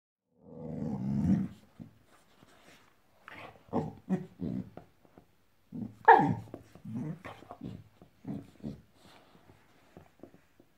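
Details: Five-month-old female Boxador puppy growling at her new pink pig toy; a long low rumbling growl, then a string of short choppy grunting growls and snorts in uneven bursts.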